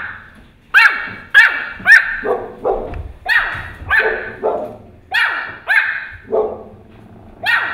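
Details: A Pomeranian puppy barks at a huge dog, giving a run of sharp, high-pitched barks, some rising into yips.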